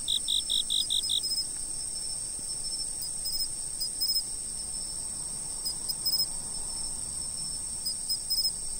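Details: Insects calling at a fixed spot, with a steady high-pitched continuous trill underneath short bursts of bright chirps in clusters. A quick run of lower pulsed chirps opens the first second. Faint background hiss.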